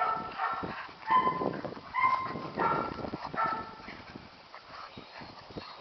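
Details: Young Catahoula puppies aged seven and nine weeks playing on a farm give short, tonal, high-pitched yips with a few rough barks, spaced unevenly over a background of scuffling.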